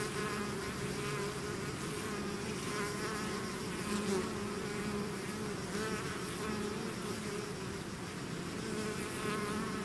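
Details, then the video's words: Steady mass buzzing from a bee swarm that has left its hive, a full, even drone with faint wavering higher tones from nearby bees flying past throughout. "bees therapy swarm natural buzzing sound"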